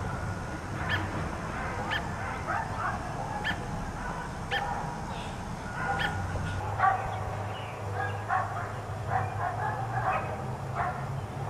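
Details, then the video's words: Four dogs kept outside all day bark in uneven bursts, some barks close and loud and others softer. A low rumble runs beneath, swelling in the second half. "4 Dogs Barking Allday"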